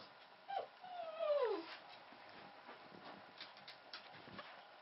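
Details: Newborn Pomeranian puppy, the only one of a first litter of three to survive birth, sired by a Pomeranian from a part-Pomeranian mother: a brief high squeak, then a longer whimper sliding downward, followed by soft rustling and clicks.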